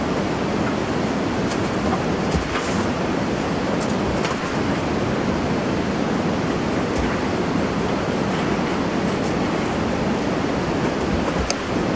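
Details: Dense steady rushing noise like wind or traffic with scattered faint clicks; no animal voice is heard.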